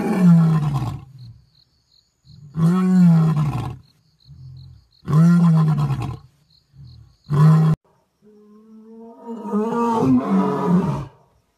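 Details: Roaring Asiatic lion at Gir National Park, Sasan Gir, during a safari: four deep, booming roars of varying length, followed by a drawn-out, wavering, moaning call.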